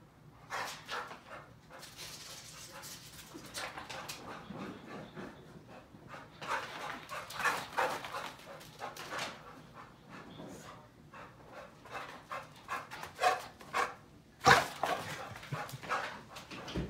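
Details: Sebastian, a Chow Chow dog indoors, worked up while counter-surfing for tuna: a string of short, rough huffing barks and yelps at uneven intervals, then a sharper whining yelp near the end, with a woman's voice telling him off.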